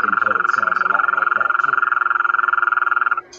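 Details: A Gulf Coast toad, common across eastern Texas and likened to a UFO landing in the backyard, gives a steady, rapid, buzzy trill at one even pitch, lasting about three seconds.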